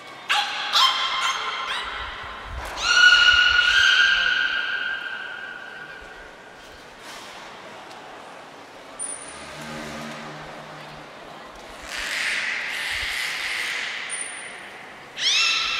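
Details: Training session with the beluga Niko at Port of Nagoya Public Aquarium, 25 February 2024: bursts of short squeaky calls and a long harmonic wail, a quieter pause, sharp trainer's whistle blasts, then more buzzy calls.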